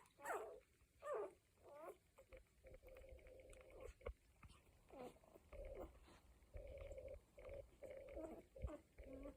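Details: One-week-old Cocker Spaniel puppies: several loud, swooping whimpers open the recording, followed by steadier, nasal moaning tones and short squeaks, irregular in timing, over low muffled rustling.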